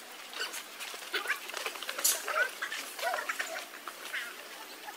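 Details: Hungry baby monkey crying and begging for milk. Thin, high squeaks and short whimpering chirps repeat irregularly, roughly once or twice a second, over light background hiss.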